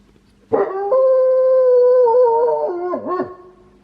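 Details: A pet wolfdog living at home gives one long, steady howl with a peculiar quality. The pitch sags slowly, then breaks into a quick dip and wobble before it fades.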